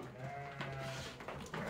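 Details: Sheep, a newly arrived fat-tailed flock at a livestock trader's pen in Uzbekistan, giving a steady, wavering bleat with stacked harmonics held for about a second, over low background rumble and a brief clatter.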